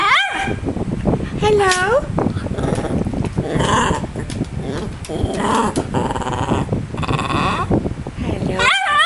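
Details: Pet dog Mr Bean indoors, practising a 'hello' on his owner's prompting: several whining, bending harmonic yowls rise and fall between a person's coaxing words of praise, with a steady fan hum behind.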